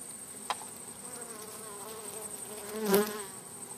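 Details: Wild bees in a hive inside a crack closed off with wood plates: a clear droning buzz with several layered tones, swelling louder near the end, with a single tap early on.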